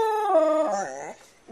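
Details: House dog 'talking' indoors: a loud, sustained, clear howl-like note that holds steady, then bends and slides downward before fading into quiet, with a faint sound at the very end.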